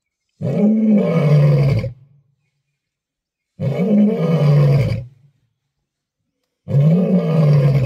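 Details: Lion roaring on safari: three long, deep, moaning roars, each about one and a half seconds, separated by silent gaps of roughly two seconds.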